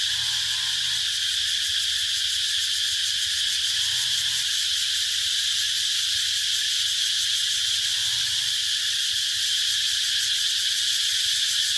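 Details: Intense, sustained cicada buzzing, a piercing, even, electric-sounding drone with fine rapid pulsation and a low murmur in the background.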